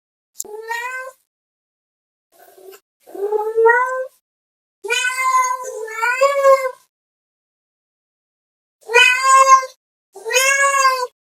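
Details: Domestic cat meowing to call another cat: a series of loud, drawn-out, wavering meows, some rising then falling, about six calls with short silent gaps between them.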